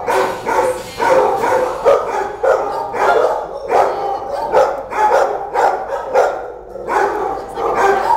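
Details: Dog at an animal shelter barking repeatedly, rough mid-pitched barks coming in quick runs of two or three, about ten barks over eight seconds, with hard echo from the enclosure.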